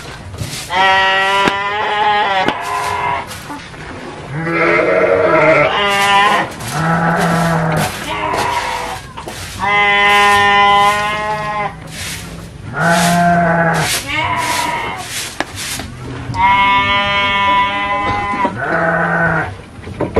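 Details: Several Garut sheep at a fighting-sheep breeding farm in Cilawu, Garut, West Java, Indonesia, bleat again and again: long, quavering, nasal calls that overlap and follow each other every second or two, with a faint murmur of people behind.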